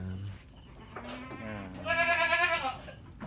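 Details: Goat in a fattening pen in Lhokseumawe, Aceh, Indonesia; after a few faint short calls, one loud, strongly quavering, nasal bleat lasting almost a second, with a man's voice at the start.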